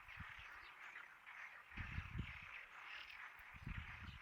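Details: Frog chorus of overlapping rapid croaking, continuous throughout, mixed with several low dull thumps in bursts.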